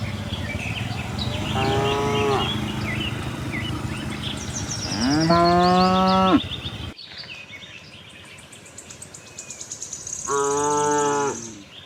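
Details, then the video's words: Tame herd of cows roaming a cattle farm looking for fresh grass; three drawn-out harmonic moos, the middle one loudest and deepest, with bird chirps above and a sudden drop in background noise midway. "cute tame herd of cows - looking for grass, cow mooing sound, cattle farm, cows roaming around"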